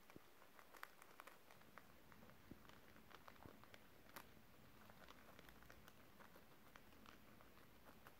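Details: Pet guinea pigs nibbling crispy beetroot pieces indoors, recorded December 30, 2023: soft, scattered crunching bites and small clicks come several times a second at irregular intervals over a faint, steady room hiss.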